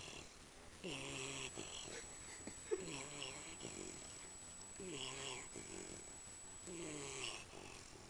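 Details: Sleeping American Pit Bull Terrier, lying with mouth open and tongue out, snoring: low, rough, voiced breaths with a wavering tone, roughly every two seconds, over a faint steady high whine.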